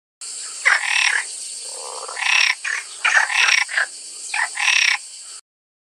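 A frog calls with coarse, rasping croaks, each burst lasting about half a second and coming in irregular groups. A constant high-pitched hiss, likely insects or background noise, runs underneath throughout.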